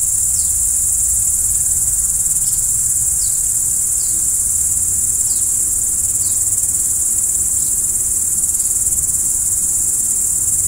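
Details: Nocturnal crickets trill without a break at a very high pitch, while a series of short, faint downward chirps repeat about once a second over a low background hum.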